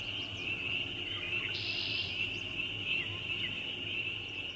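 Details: ['Spring peepers in a loud chorus: countless high peeps merge into one unbroken shrill drone, steady throughout, over a low background rumble.']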